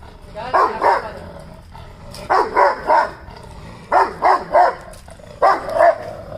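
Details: Rottweiler barking at another dog, giving deep, rough barks in quick groups of two or three, each group about one and a half seconds apart, over low steady background noise.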